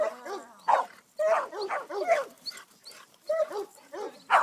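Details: At 10½ years old and herding for the first time, Greater Swiss Mountain Dog Sadie lets out dense, overlapping whining yelps and short barks in close clusters, with barely a pause between them.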